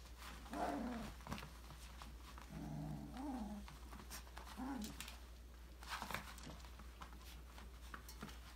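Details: Australian Labradoodle puppies, five weeks old, exploring and playing in a puppy enrichment playground indoors; three low, wavering grumbling whines come in short bursts, with clattering toys and pattering feet between them.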